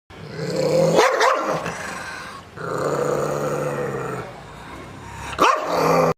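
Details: Angry dog growling in long rough rumbling stretches, broken by sharp barks near one second and five and a half seconds.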